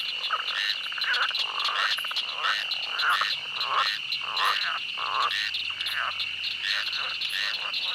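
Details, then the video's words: Night swamp with many frogs quacking, short croaks repeated about ninety times a minute, overlapping voices over a constant high buzzing hum. "The sound of a night swamp where frogs quack."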